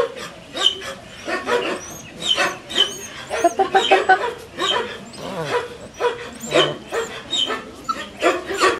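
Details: A litter of six-week-old Collie puppies yaps continuously, sharp high yelps and thin whines repeating every half second or so, barely any human speech.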